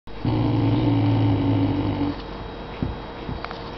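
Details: A very vocal English Mastiff puppy randomly gives a low, rumbling growl lasting about two seconds, its meaning unclear to the owner.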